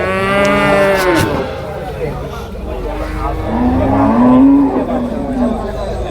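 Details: Young domestic water buffalo calves for sale at a market in Payyanad, Manjeri, Kerala, India, early morning. One falling moo opens, then a thin, upward-sliding call comes later, over steady market chatter and a dull background hum.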